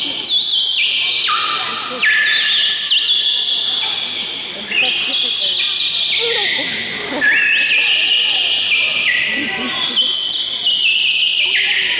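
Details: Beluga whales at a show in Odessa demonstrate their vocal skills on cue, giving bright, harmonic whistles that drop in steps, repeating every few seconds.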